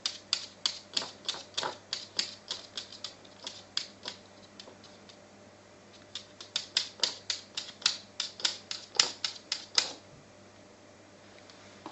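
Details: Rapid, irregular bursts of sharp clicks and taps, like small hard objects clattering on a surface, over a faint steady hum, with brief quiet gaps between clusters; no animal voice is heard.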